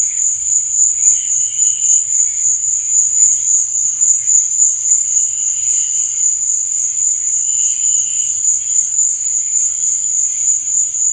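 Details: Nighttime cricket song: a bright, sustained high trill with rapid even pulses, joined now and then by short quieter wavering tones at a lower pitch.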